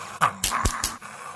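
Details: Gray fox giving three short, harsh, broadband barks in quick succession within about a second, over a faint low steady hum.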